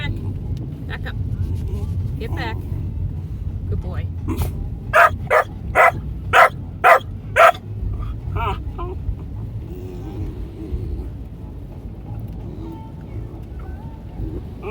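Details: Marvin, a three-and-a-half-month-old red merle Australian Shepherd puppy, riding in a car, gives a run of six sharp, evenly spaced barks about half a second apart, amid whines, a person's voice and steady road rumble.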